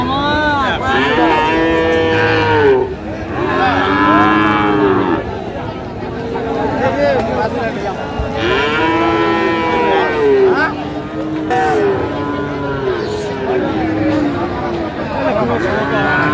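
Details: Friesian or crossbred bull calves at a busy cattle market in Raniganj, Dinajpur, Bangladesh, on 15 January 2025. Loud moos come in bursts of two to three seconds, some arching up and down, over a noisy crowd.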